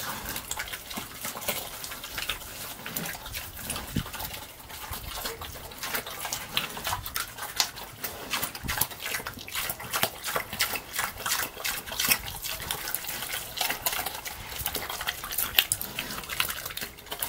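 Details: Slop being eaten by a pig, heard as continuous sloppy chomping and slurps, crisp wet clicks packed closely together and growing a little louder toward the end.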